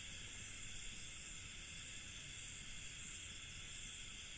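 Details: Night in an Indian village, where crickets keep up an unbroken, even, high-pitched shrilling in several stacked bands over a soft low ambient rumble, with no pauses or changes in level.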